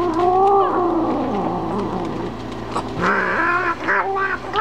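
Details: Momma Kitty, a domestic cat, warning dogs to stay away while she eats: long wavering yowls with shifting pitch, sliding down then rising in a harsher tone near the end.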